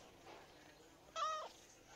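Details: Domestic cat kept indoors, a short clear meow of about a third of a second, steady then dropping, following a woman's questioning voice in a quiet room.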